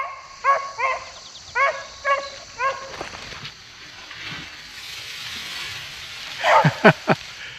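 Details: Squirrel-hunting dogs bay in a field on a cool early-September morning in an Ohio wildlife area, five short, bending howl-yelps over about two and a half seconds, then quiet, with a few sharp close knocks at the end.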